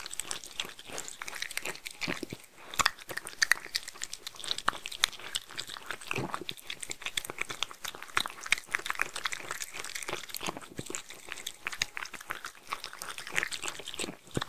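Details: Mindy, a Shetland Sheepdog or Sheltie, eating homemade food: dense, irregular crunching and wet biting clicks follow one another rapidly for the whole stretch, with brief pauses near two and six seconds.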